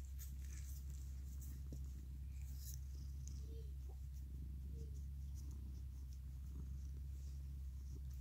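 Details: Mikan, a male orange tabby cat and former stray, purrs while hugging and licking: a steady, deep rumbling drone holds throughout with no break, overlaid by faint scattered clicks and rustles of handling.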